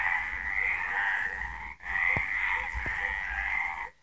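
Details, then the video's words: At night in Villa del Campo, Extremadura, numerous frogs croak together in a rough, rattling, unbroken trill chorus, with a single short break midway and a couple of faint knocks in the background. "De noche cantan las Ranas"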